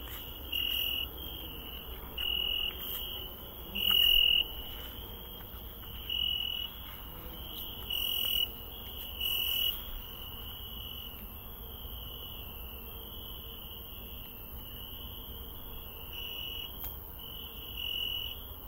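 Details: Cricket chirping during a night walk in a garden; short, high, pure pulsed chirps in bursts roughly every one to two seconds over a steady background hiss.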